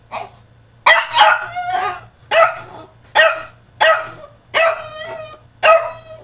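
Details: French Bulldog throwing a tantrum in his cage, giving loud, hoarse, howling yelps roughly every second and a half, each a harmonic, slightly falling wail, over a low steady hum.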